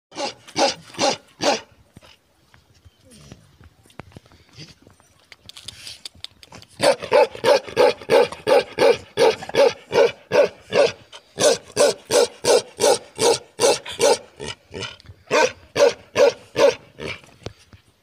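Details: Himalayan Gaddi dogs: loud rhythmic barking, about two to three barks a second in long steady runs, with a brief quieter gap of softer sounds.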